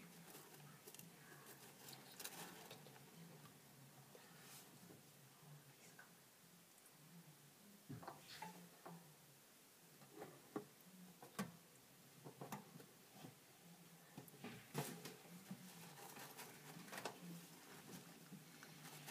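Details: Hamster eating indoors, producing irregular bursts of crisp crunching and nibbling clicks, some clustered in quick runs, against a quiet room hum.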